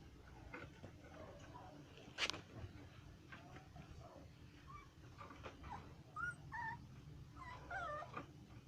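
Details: Golden Retriever named Munchkin whimpering while playing, with a sharp click near the start and a few high, thin, wavering whines near the end over a low room hum.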